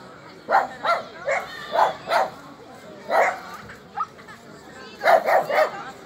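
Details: Border collie Alde at its first Rally-Obedience trial in the G1 competition class, giving short sharp barks in quick irregular bursts, several in a row, then a pause, a single yip, and a final cluster of three.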